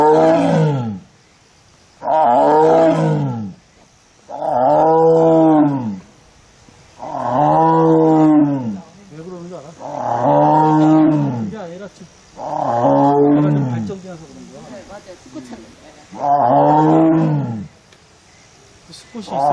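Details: Korean tiger, a female alone in the enclosure of a forest arboretum's tiger forest in South Korea during her heat, filmed 1 September 2022, giving long mournful moaning cries, seven drawn-out harmonic wails each lasting over a second, separated by short pauses.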